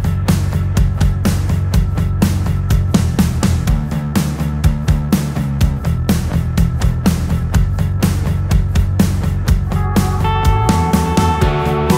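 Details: Driving rock music with steady drums, bass and guitar fills the whole stretch, with no animal sound audible.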